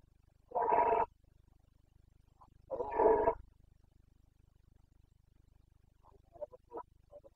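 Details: Rutting Carpathian stag, a red deer in the Bucovina mountains, recorded in breeding season on 29.09.2022. Two powerful, hoarse roars about two seconds apart, each roughly half a second long, then a few faint short grunts.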